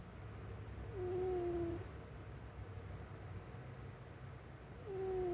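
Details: Cat asleep on a lap, snoring with a nasal whistle: one drawn-out falling whistled tone, then the start of another about four seconds later, over a low background hum.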